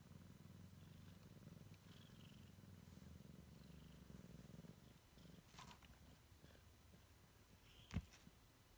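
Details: Low rhythmic purring from a Siamese kitten exploring its surroundings for the first time, strong at first, then fading into softer rumbling, punctuated by light taps and one sharp knock toward the end.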